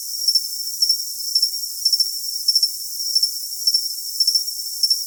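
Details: High-pitched cricket chirps come in steady, evenly spaced clusters about every half second, riding on a continuous shrill ringing and soft hiss, nothing heard in the lower range.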